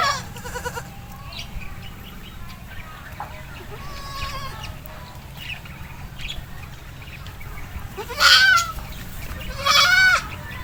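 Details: Mother goat recovering after giving birth, calling with two loud, wavering, harmonic bleats near the end, after a stretch of quieter background sounds and faint scattered noises.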